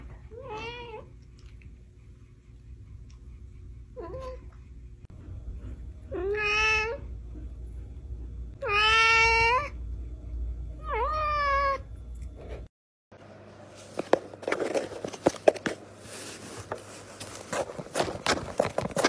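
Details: Domestic cats meowing, part of a funny compilation: four or five drawn-out, harmonic meows with rising-falling contours over about twelve seconds, then an abrupt cut to a noisy, clattering stretch with no calls.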